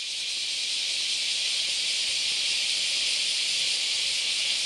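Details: Cicadas, very many of them, singing on a Sunday morning in August at the Philosophy Path, Kyoto, Japan: a loud, sustained high-pitched sizzle that swells slightly at the start, then stays constant.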